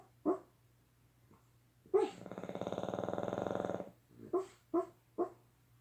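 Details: Boston Terriers snoring and dreaming in their sleep give a long, rattling, pulsed snore between short muffled yips and woofs.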